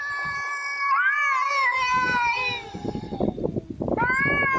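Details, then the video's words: Domestic cat meowing in a talking-cat compilation: a long, bright, wavering meow that bends up and slides down, a pause with rustling and knocks, then a fresh rising meow. "Even Cats Can Talk"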